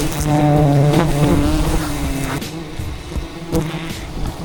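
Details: Angry wild bees defending their colony, attacking during the harvest of a giant hidden beehive in the rainforest: a low droning buzz with steady harmonics, loudest in the first second, then fading under a rumbling background.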